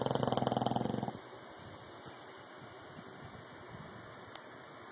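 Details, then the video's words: Loud snoring from an English bulldog: one rattling, rapidly fluttering snore of about a second, followed by quiet with a steady background hiss and hum. "English Bulldog Rocky snoring..... Loud"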